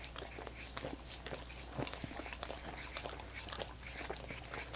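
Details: Dogs licking coconut water popsicles: a steady run of soft, wet clicks and smacks, some sharper ticks among them, over a low constant hum.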